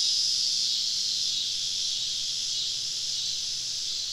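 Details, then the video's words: Southern summer evening in deep woods, cicadas all around the campsite: a constant high hissing buzz that fades slightly toward the end, with a faint low hum underneath. "Southern Evening Summer Cicada Symphony"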